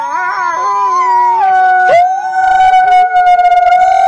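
A grey wolf howls in a long, steady, tonal wail that wavers slightly and then settles.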